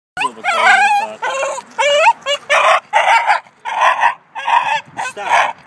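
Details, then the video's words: Two-year-old male cream Shiba Inu, over-excited at a dog park, yodels in long wavering harmonic howls that bend up and down, broken by short pauses and sharper yelping bursts, sounding loud and continuous through the clip. "Shiba Inu Charlie yodels in excitement"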